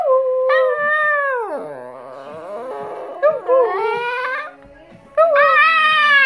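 A Chihuahua gives a thin, wavering howl that slides from high to low, then rises again.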